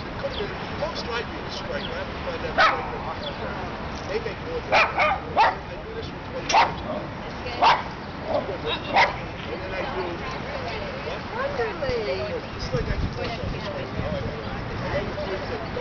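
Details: In a New York City dog run in midtown Manhattan, dogs at play let out a series of sharp barks, clustered in the middle of the stretch, amid steady traffic-like rumble and distant human voices.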